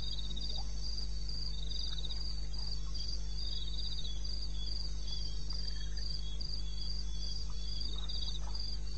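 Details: In the eastern Botswana wilderness on 21 May at 2:30 am, crickets keep up steady, regular high-pitched pulsed chirps, layered in two bands, over a persistent low background drone with occasional soft ticks.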